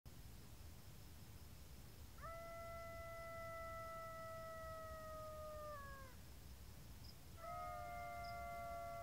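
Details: A golden jackal (Canis aureus) howls, a long steady wail that sags in pitch at the end.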